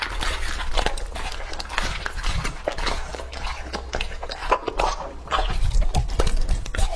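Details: Raw-meat meal of Lucky, a male English-type Labrador aged two and a half: irregular moist bites and crunches, about two per second, close up in a small room with a low background hum.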